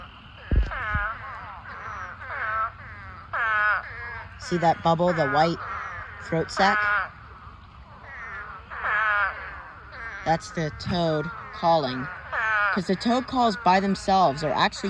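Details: Spadefoot toads call in a massive mating swarm filling a pond: a restless chorus of overlapping wailing, lamb-like bleats, some close and loud, others distant, with quick stuttering bursts of calls late in the clip.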